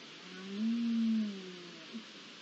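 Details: Red deer calling at night on 20 September 2021 as the rut begins: a single tonal, moaning bellow of about a second, rising slightly then falling, over a quiet, steady background hiss.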